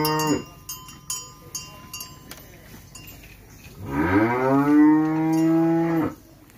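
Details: Farmed Simmental and Limousin cattle kept under a profit-sharing arrangement; a single long, deep moo of about two seconds, rising at first then held steady, follows several bright metallic clinks and chimes.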